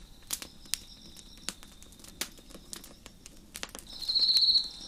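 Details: Crickets chirp at night on a deck beside a crackling fire: a steady high-pitched chorus runs throughout, then one cricket's loud trill swells near the end, with sharp pops and snaps of burning wood.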